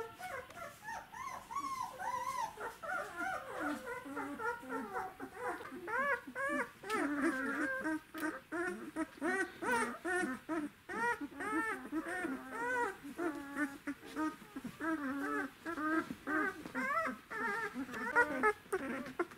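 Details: A litter of Czechoslovakian Wolfdog puppies aged 12 days, born to Orizon and Rahan, December 2020. Many overlapping squeaky whines and yelps, arched and wavering in pitch, form a continuous chorus of several pups calling at once for nearly twenty seconds.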